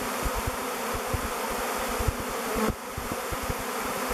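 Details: Buzz of a bee swarm, thousands strong, flying around the log hive Bee Beard before settling on it as their future home; an even, thick hum with scattered low knocks and a brief dip near the end.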